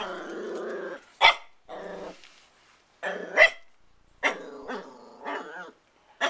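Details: Growling puppy Christian, protective and keen to play with the family cats, alternates long rumbling growls with sudden high sharp barks, about one every second or two.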